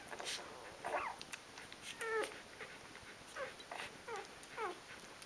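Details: Three-day-old Rhodesian Ridgeback puppies of a litter, several together, giving thin rising-and-falling whimpering squeaks, a few each second with brief pauses, over a steady faint hiss.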